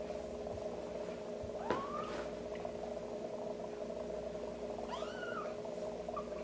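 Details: Kitten mewing while being helped to defecate, its belly area stimulated indoors; two thin, high, rising-then-falling mews, one near two seconds and another near five, over a steady low electrical hum.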